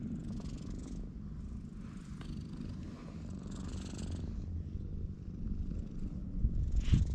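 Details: Stray ginger tabby cat lounging at a cat shrine's parking lot, purring as it is petted, recorded with a GoPro HERO8; a deep, continuous pulsing purr, with brushing sounds growing louder near the end.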